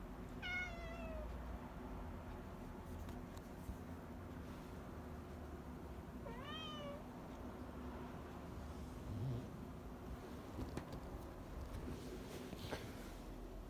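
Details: Happy, a female house cat, meows twice in the morning, each a descending, drawn-out cry several seconds apart. Soft clicks and low room rumble fill the quiet gaps.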